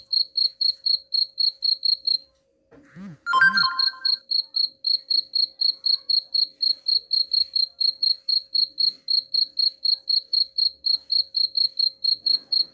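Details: Cricket chirping, offered as a sound to drive away rats: a steady train of short, high, pulsed chirps about four per second, broken by a brief pause near two seconds where a few lower sweeping sounds intrude before the chirping resumes.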